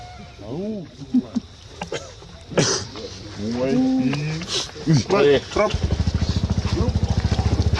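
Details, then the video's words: Baby monkey crying and screaming: a series of arched, harmonic wails rising and falling, some in quick clusters, ending with a steady low engine-like rattle. "My Baby is So Cry, Screaming Sound Monkey Baby"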